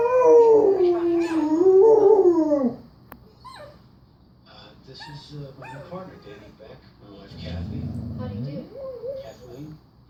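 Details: Pet dog howling along to a recording meant to make dogs howl: a loud, quavering howl that rises and falls for nearly three seconds, then quiet with soft whines and a brief low murmur near the end.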